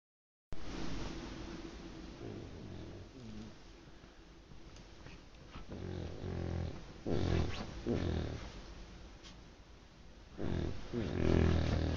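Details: Sleeping dog snoring loudly indoors, recorded on a phone: a continuous low rumbling rasp with rhythmic breaths, swelling to louder, coarser snores near the middle and end.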